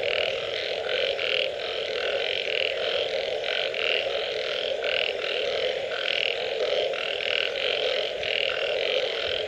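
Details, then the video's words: Post-rain frog chorus with repeated short, nasal croaks in fast series, voices overlapping and trading off in a lively rhythm above a steady droning backdrop. "Unbelievable Frog Sounds after Rain"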